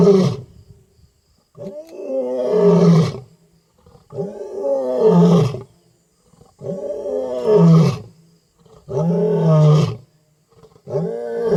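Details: Powerful nighttime roars of a wild African lion in Africa: five or six heavy, rasping roars about two seconds apart, each a deep, full-throated bellow that fades abruptly, with brief quiet gaps between.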